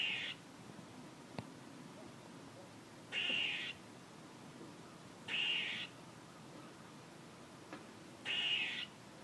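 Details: Four drawn-out, buzzy, nasal squirrel calls repeated roughly every two and a half to three seconds, with a couple of faint clicks between them.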